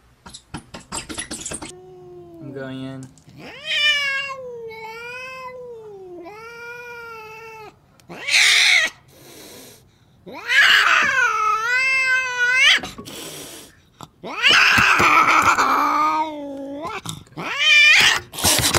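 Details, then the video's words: Cats fighting: a run of drawn-out, wavering harmonic yowls that rise and fall, broken by sharp hissing bursts and short spits, with louder overlapping wails toward the end. "the best funny cat fight videos"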